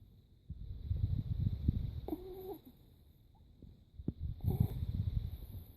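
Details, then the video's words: Krisha, a sleeping Chihuahua, snoring: two long, low rumbling breaths of rough, rattling sound, separated by a quiet pause, with a brief faint squeak between them. "Chihuahua roncando"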